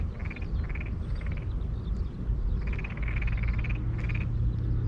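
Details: A Tokyo Daruma pond frog calls from rice paddies and irrigation channels in Saitama, Japan: short, creaky, rasping pulsed trills in quick bursts, over heavy low wind or handling rumble.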